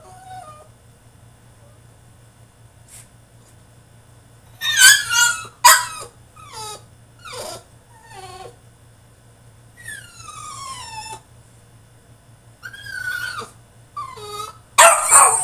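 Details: French Bulldog in his cage throwing a tantrum, with quiet at first, then a stream of squeaky whimpers, falling whines and harsh yelps coming unevenly, ending in a rough squeal.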